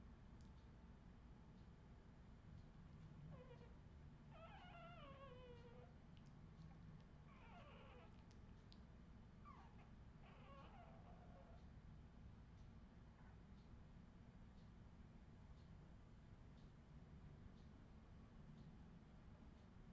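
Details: Australian Terrier puppies of the Redwing line, 2018: a run of high, wavering whimpers and squeals, some sliding downward, clustered between three and twelve seconds over a steady low indoor hum, then quiet.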